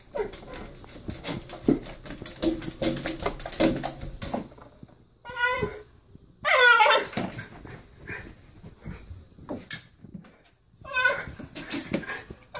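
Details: A Basenji, filmed with a bunny, gives wavering, warbling yodel-like calls that rise and fall in pitch.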